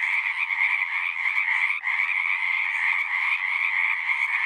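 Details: Unbroken wall of frog calls from a pasture pond, high pulsing trills blended into one steady chorus with a single brief dip partway through.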